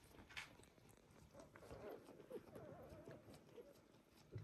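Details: One-day-old Border Collie puppies from the litter of Kiss and Kobi give a thin, wavering whine that rises and falls for about two seconds mid-clip, with soft clicks and bumps around it.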